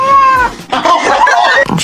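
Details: Domestic cat from a compilation of cats whose meows sound like human words. A clear, drawn-out meow falls in pitch over half a second, then merges with further vocal sounds and people talking.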